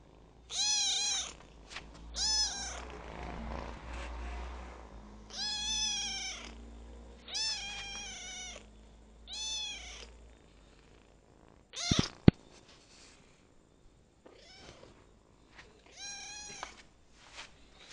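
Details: Domestic kitten, ten days after being adopted, giving a string of short high meows, roughly six or seven over eighteen seconds at uneven intervals, with low rumbling background, a sharp knock, and faint softer calls near the end.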